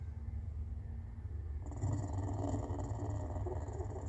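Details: A captive clouded leopard gives a low, rough rumbling sound, steady and throaty; the owner is unsure whether she is purring or snoring.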